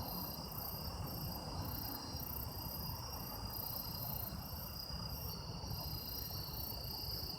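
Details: Chorus of autumn insects captured as sound-effect material: continuous layered high-pitched trills, one very high band beating in regular pulses, over a steady low-frequency hum.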